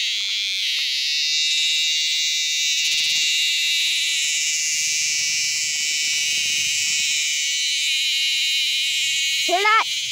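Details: A freshly caught dog-day cicada gives a loud, steady, high electric buzz with layered bands that holds unbroken for the whole stretch. A brief burst of rising tones cuts in near the end.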